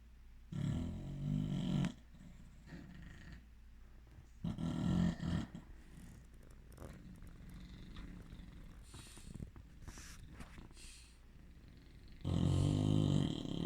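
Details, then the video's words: Bulldogs sleeping and snoring: loud low rumbling snores near the start, middle and end, separated by quieter breathing with some faint higher noise. "Bulldog snoring"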